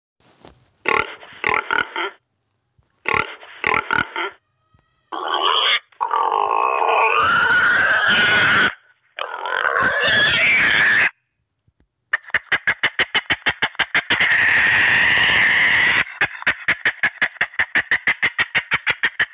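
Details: A pig gives harsh, rasping grunts and squeals in short bursts, then a fast run of clicking grunts.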